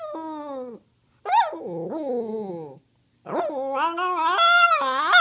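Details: Pet dog Cody, who loves to talk, asking for treats: groaning, wavering whines that bend up and down in pitch, then a long, rising, strained howling phrase that climbs higher toward the end.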